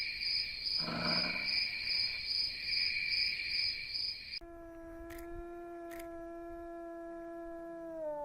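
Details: Wild wolf roaming freely on the steppe: after several seconds of steady chirping crickets, a long, smooth, low howl with rich overtones holds one level pitch, then sags downward at its close, with two faint clicks during it.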